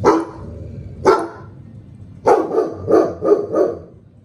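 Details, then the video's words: Female giant schnauzer, 14 months old, barking: two deep single barks about a second apart, then a quick run of five loud, rough barks in close succession, clear against a quiet indoor background. "Giant Schnauzer Bark"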